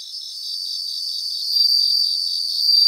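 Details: Several bell crickets chorusing in Japanese grassland: a continuous high, pulsing metallic ringing that grows gradually louder over a few seconds.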